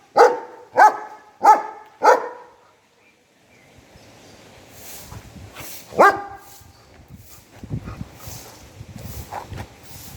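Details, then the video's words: A German Shepherd barking at the person filming gives a quick run of four deep, loud barks, then barks again more sparsely. "German Shepherd barking on me !!"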